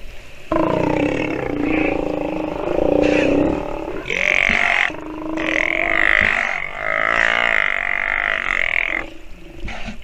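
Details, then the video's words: Sea lion pup vocalizing while nursing: long, loud, harmonic bawling calls, some steady and some wavering, each lasting one to three seconds and following one another with brief gaps, with no other clear sounds. "Sea Lion pup has listened and learned while nursing - video has sound"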